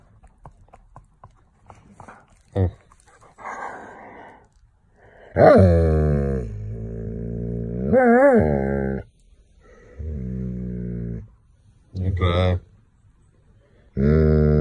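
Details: Annoyed Doberman, wanting to play outside and upset at not being played with, gives a string of loud whining, groaning vocalizations indoors. The drawn-out cries rise and fall in pitch, arriving in bursts of one to three seconds separated by short pauses.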